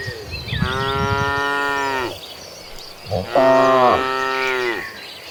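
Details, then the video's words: Herd of cows walking toward a green pasture; two long, steady moos a second or so apart, the second louder and slightly higher, with faint bird chirps in the background. "A Herd of Mooing Cattle Walking Toward a Green Pasture, the Sound of Mooing Cows"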